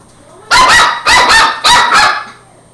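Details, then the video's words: Border Terrier puppy named Angus barking at a broom it fights and runs from: three loud sharp barks spaced about half a second apart, indoors. "Border terrier puppy fights broom"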